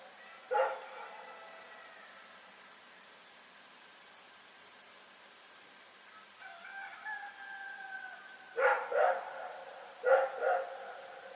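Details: At night in Pyrga, Rex the dog gives a lone bark, then a long, drawn-out tonal call sounds in the middle stretch, followed by two paired bursts of short, loud barks near the end.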